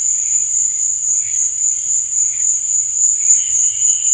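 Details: Short stretch of cricket song at night: a bright, sustained, high trill, with quieter, lower pulsing chirps wavering below it and a faint low background hum.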